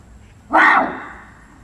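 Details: A barasingha at Seoul Grand Park Zoo, 6 December 2021, gives one short, harsh, bark-like call that fades in an echoing space; a rarely heard call.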